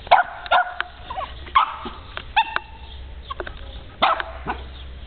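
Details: Puppy yapping in quick high-pitched yips and short barks, several bursts spaced under a second apart, with a low hum behind.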